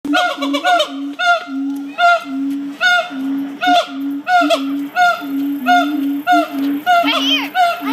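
Monkeys give loud, honking calls in a steady series, each one a rich, nasal note on an even pitch.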